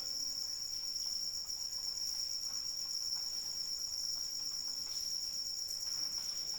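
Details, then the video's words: Rain falls softly beneath an uninterrupted piercing cricket trill, the insect sound dominant and unchanging, with faint drips and patter scattered across the recording. "Suara Hujan dan Jangkrik Pengantar Tidur"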